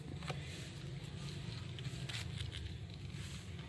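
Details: Steady engine rumble from a passing vehicle outdoors, with faint crackles and footsteps.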